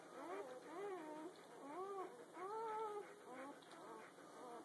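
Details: Litter of puppies under a day old, recorded the morning after they were born. A few drawn-out, arching squeals, each rising then falling, come singly with short gaps in a quiet room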